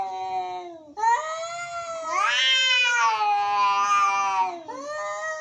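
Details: Angry cats meowing: long wavering harmonic wails, a low drawn-out moan rising into a loud, strained, rising-then-falling yowl lasting about two and a half seconds, followed by another moan; indoors, no other sounds.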